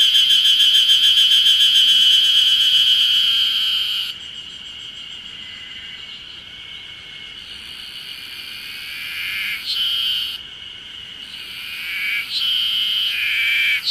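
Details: Ezo spring cicadas, heralding early summer, sing everywhere in a high, buzzing chorus of rapid pulses that fades after a few seconds; Mount Ryozen, Date, Fukushima, Japan, 20 June 2021.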